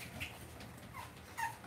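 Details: Cavalier King Charles Spaniel puppies being raised indoors in a home puppy pen. Short, thin, high whines with a couple of brief squeaky notes near the end, over a low indoor room hum.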